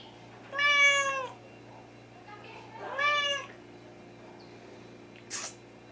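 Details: Wichien Maat (Thai) cat indoors, July 2017, uttering two clear harmonic meows about two seconds apart, each steady then dropping at the end, followed by a short sharp noise.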